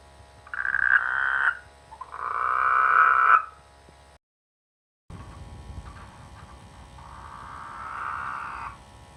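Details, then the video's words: Frogs croaking in village rice fields in the rainy season: two loud buzzy bursts, an abrupt silent break, then softer, more distant rasping croaks rising toward the end. "The sweet sound of frogs in the rainy season"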